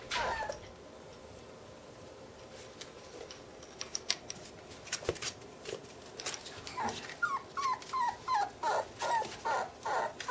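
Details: Bernese Mountain Dog puppies, sisters, in a room; after several seconds of clicks, taps and shuffling, thin high whines start and build into a regular series of short whimpers about every half second toward the end.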